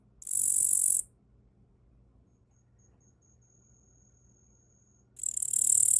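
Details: Captive-reared Tettigonia orientalis katydid, caught small in early spring and raised, singing while perched on a person's arm: a harsh, hissing high-pitched buzz lasting about a second, then a long pause before the next buzz starts.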